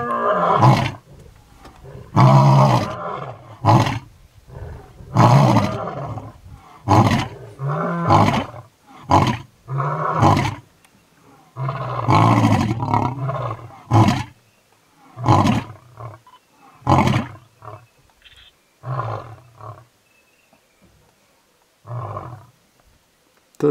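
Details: A lion in the Masai Mara, Kenya, roars in a series of deep, throaty bursts, loud moans giving way to shorter grunts.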